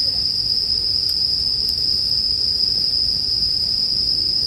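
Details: Bell cricket chorus for sleep ambience, a continuous shrill ringing held on a single high note without pauses, plus a soft low background hum and a couple of faint ticks.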